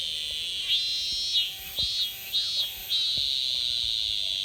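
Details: Semi (cicadas) singing in summer in Japan; shrill high buzzing drone broken by several short swelling pulses, with faint clicks and thumps in the background.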